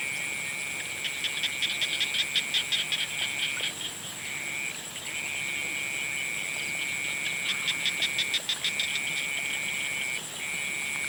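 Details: Sunset frog chorus: bursts of rapid, clicking pulsed calls that come and go over a continuous high-pitched trill, with a short lull in the middle and a thin high whine throughout.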